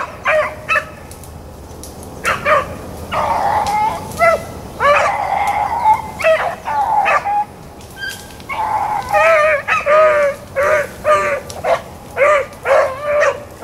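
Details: Blackcreek and Bluetick hounds running rabbits on April 4, 2013, giving a pack chorus of ringing, harmonic bays and chops that overlap and repeat irregularly, some drawn out into longer bawls.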